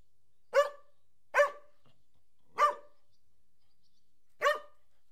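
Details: One of two Collies barks four times, each bark short, sharp and mid-pitched, spaced unevenly with quiet gaps between.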